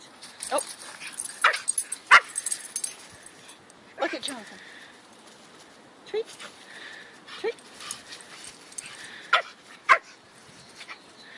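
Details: Two Brussels Griffons, Bruno and Tootie, at play: Bruno shows off dance moves while Tootie keeps him down. Scattered short yips and whimpers come in bursts, including a drawn-out falling whine, with human voices murmuring in the background.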